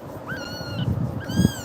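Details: Scared kitten meowing after a fright caused by Tiger; two drawn-out, slightly falling high meows about a second apart over low thumping handling noise.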